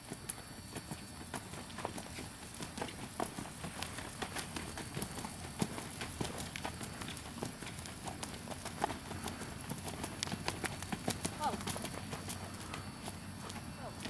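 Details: Hooves of Admiral's Paladin, a 9-year-old American Saddlebred wearing front plates and no hind shoes, recorded in October 2008 after show season; crisp clip-clop strikes repeat roughly every half second for fourteen seconds over low outdoor rumble.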